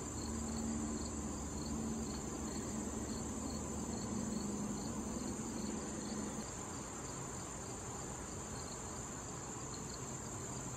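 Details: Crickets trill steadily with high, shrill chirps pulsing over a hiss of outdoor noise, beside a late-summer patch of blooming wild thistle visited by butterflies and bees.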